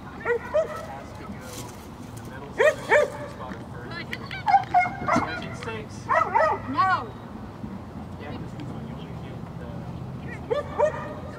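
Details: A Vizsla at an Updog Bite Club dog sport competition on 20 November 2021, where it placed third, gives several short, sharp harmonic barks and yips in bursts, mixed with people talking in Spanish nearby.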